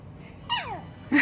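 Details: A small Pomeranian, Chihuahua and Maltese mix dog makes a thin whine while being possessive over toys it wants to play with. The whine slides downward and fades, ending in a brief louder sound.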